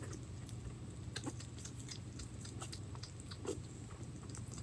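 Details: A hedgehog named Pirozhok eating minced meat: soft, irregular wet smacks and faint crunching clicks that come in quick bursts, over a steady low electrical hum in a quiet room.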